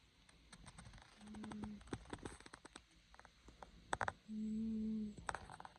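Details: Sleeping cat snoring: two steady, low, humming snores, the second longer, separated by scattered soft clicks and taps in a quiet room.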